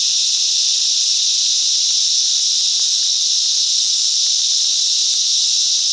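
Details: Group song of cicadas in mangrove bush at Coffs Harbour, NSW, Australia, heard as a continuous intense shrill hiss, level and unbroken, with faint scattered clicks beneath.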